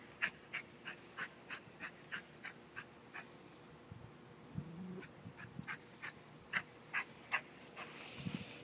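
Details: An excited female Shih Tzu barks at the big dog next door in a quick run of short, sharp, high yaps.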